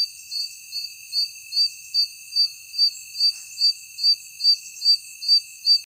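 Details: Insect. A night insect gives short, high chirps, evenly repeated a little over twice each second. Behind it runs a continuous thin, shrill hum, likely from other insects calling together.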